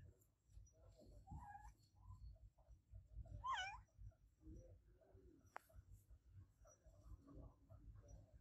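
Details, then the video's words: Adopted pet cat meowing loudly indoors, giving a couple of short, rising-falling meows amid low background hum and a sharp click, with softer faint vocal sounds toward the end. "Cat Meowing Sound My Adopted Cat Olevia Meow Loud"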